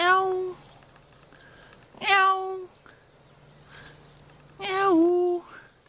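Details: Two cats standing guard in a vegetable garden in Jeonju, North Jeolla Province, Korea: three drawn-out, steady-pitched meows spaced about two seconds apart, the last dipping then rising, with faint chirps between them and a low steady hum.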